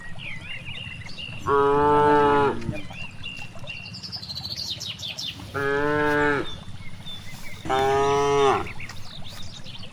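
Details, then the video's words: Three strong, rich moos about two seconds apart from cows grazing in a vast rice field, each call steady and roughly one second long, with soft bird twitters and rustling countryside ambience between them. "The excitement of cows grazing in a large rice field, the sound of cows, cows grazing, cute cows"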